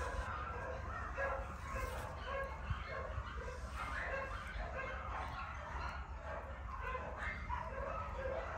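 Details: Several Keeshond puppies yelping together in quick, overlapping bursts of thin squeaky yips, with a low droning hum underneath throughout.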